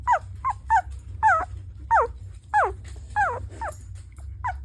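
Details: A sleeping puppy gives soft, high whimpers and squeaks that rise then fall in irregular bursts; the owner suspects he is having a bad dream.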